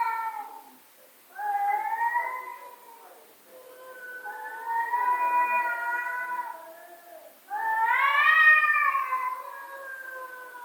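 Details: A domestic cat gives long, loud yowls, angry emotional meows with wavering, drawn-out tones that rise and fall.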